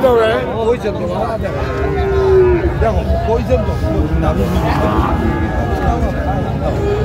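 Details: At a Bangladeshi livestock market on 28 February 2025, Sahiwal bull calves bought by Dhaka farmers give a sustained, slightly falling moo mid-clip, with shorter calls around it, over bargaining voices and the hubbub of the crowd.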